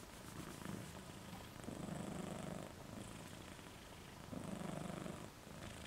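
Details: Moca, a pet dog, snoring while asleep with tongue out; rough, breathy low rumbles swell and fade with each slow breath, about three long snores over six seconds in a quiet room.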